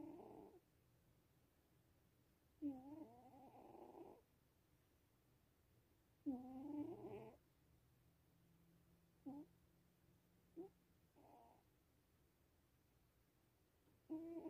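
A Sphynx cat snores in rough, buzzy bursts that come every few seconds.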